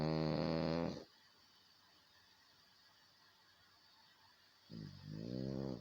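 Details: A French Bulldog snoring indoors: two loud, rough, deeply voiced snores, one lasting about a second at the start and another near the end, separated by several seconds of near silence.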